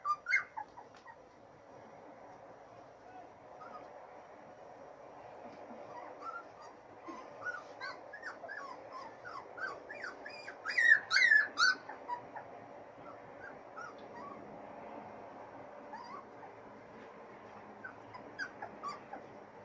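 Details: Three-week-old Siberian Husky puppies from Bella and Blue's Litter A on their first outing in fresh air, giving scattered thin squeaks and whimpers that build to a brief cluster of sharper yelps midway, over a soft murmur.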